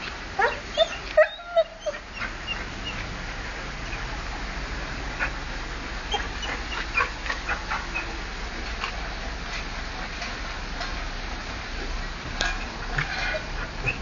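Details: Wilbur, a pet dog, excited at seeing another dog walk past, recorded 30 October 2008: a cluster of sharp, high whimpering yips in the first two seconds, then softer scattered whines over a steady hiss of background noise.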